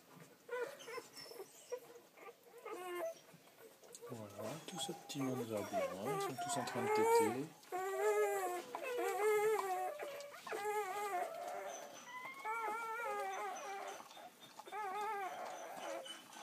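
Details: Newborn Belgian Malinois puppies, about ten hours old, a litter of six males and three females born 1 December 2012, squeal and whimper in thin, wavering, rising-and-falling cries while nursing, overlapping one another, with low background sounds.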